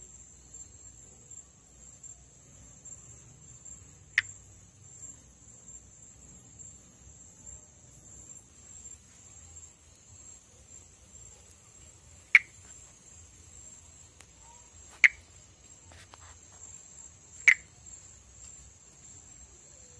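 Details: Pithecopus nordestinus, the perereca-macaco or monkey tree frog, an arboreal tree frog endemic to northeastern Brazil, filmed calling and in amplexus. Four short, sharp clicks come at irregular intervals of several seconds. A steady high insect trill runs throughout, with pulsed high chirps early on.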